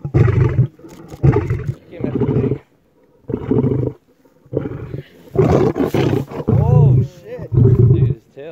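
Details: Lion giving a run of low, hoarse grunting roars at about one per second, with a brief pause near the middle; thin higher wavering tones briefly overlap the later grunts.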